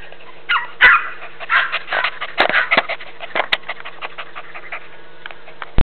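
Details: Playing Border Jack and Jack Russell puppies on a northwest Texas farm and kennel, August 2010: clusters of high yaps and whiny yelps early, tapering into softer quick yips, punctuated by a few loud thumps.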